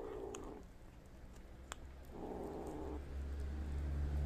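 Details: Kittens feeding on prey their mother cat brought and left for them; low rumbling purr-like bursts of about a second each, separated by brief gaps, with a single sharp click midway and a deep low hum at the end.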